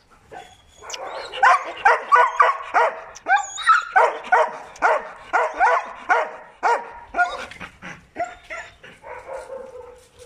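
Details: Presa Canario and Malinois protection dogs give a steady run of sharp, rhythmic barks, about two per second, sustained for ten seconds and easing into quieter yips at the end.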